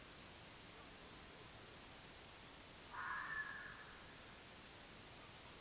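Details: Red fox (Vulpes vulpes) recorded by an AudioMoth field recorder on 9 March 2024 around 19:00 gives a single short, harsh call against a steady background hiss.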